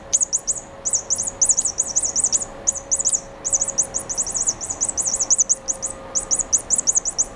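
A mouse gives very high, thin, bird-like chirps in quick bursts of three to six, with a faint steady electrical hum beneath.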